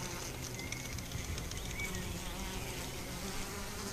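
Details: Honey bees affected by chronic bee paralysis, a continuous dense low hum with steady broadband buzzing and faint wavering higher tones throughout.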